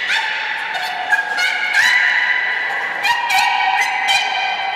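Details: Trumpet-like sustained tones from the beluga Nana during training at Port of Nagoya Public Aquarium, 13 April 2019. Several harmonic bands hold level while rapid clicking pulse bursts break in repeatedly.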